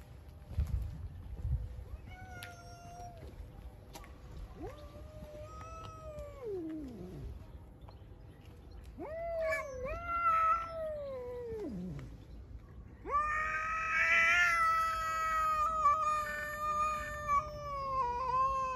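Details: Hungry, aggressive stray cats living outside, four of them, meowing loudly: drawn-out wavering meows, some sliding downward, with a louder, longer, harmonic-rich wail near the end over faint low rumble.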